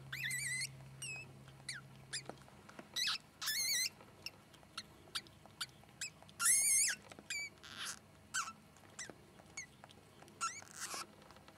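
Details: During a ferret birth, the first-born sable kit gives thin, high-pitched squeaks in short, irregular bursts as its mother cleans it.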